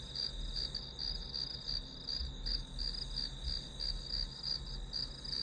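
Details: Grass insect sounds for a one-hour study-with-me session as white noise: high, bright chirps pulse steadily near three per second, backed by a quiet low-frequency hum.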